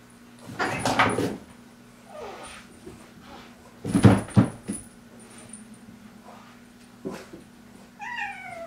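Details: Domestic kittens fighting indoors after one pesters another during play; rough, noisy scuffling bursts around one and four seconds, quieter rustling between, then a short wavering meow with clear harmonics at the end.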